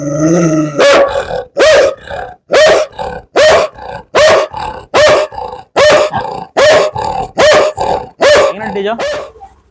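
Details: Dog giving a steady run of about a dozen loud, evenly spaced barks, roughly one every 0.7 seconds, after a brief voiced sound at the start.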